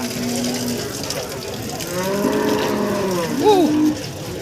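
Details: Cattle at the Pasar Paing Warujayeng livestock market in East Java, where breeding cows and cows with calves are sold. A low, drawn-out harmonic moo swells midway and ends in a short rising-falling inflection, over steady market chatter and background noise.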